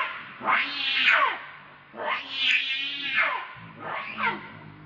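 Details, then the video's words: Monkey Rainbow, very angry and defending Lucie from Kachoy, lets out three piercing screams that sweep up then slide downward, spaced about a second and a half apart, with faint low noise beneath. "Rainbow Very Angry To Protect Lucie From Kachoy"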